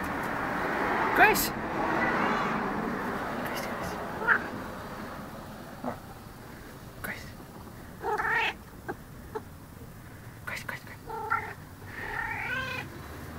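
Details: Talkative female cat about twelve years old meows repeatedly in the second half, several short rising-falling harmonic calls, following a woman's speech and household noise early on.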